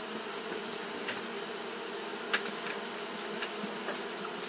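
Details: Continuous droning buzz of fanning Japanese honey bees on a hot day, steady and low, with a few soft clicks and one sharper tap near the middle over a high hiss.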